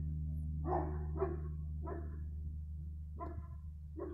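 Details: Dog barking on 15 February 2020, five broad barks in loose pairs over about four seconds, over a steady low hum.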